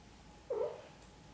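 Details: Mother cat gently caring for her kittens gives one short, soft, mid-pitched call lasting about a third of a second, steady and slightly muffled, over a quiet indoor background with a faint steady hum.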